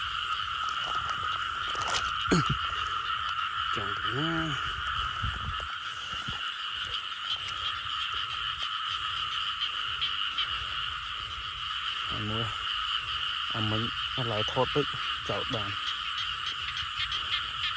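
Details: Frogs sought out by searchers give scattered croaks: one early burst, then a cluster of short, pulsed croaks later on, with long gaps, all under a steady insect chorus.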